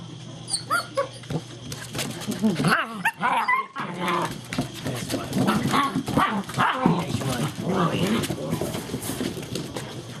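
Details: German Shepherd puppies of the Vom Barron's Pride line romping and playing together, 2-5-2012: brief high yelps and whiny squeals early on, then growly play noises over scuffling, thumping paws and a human voice.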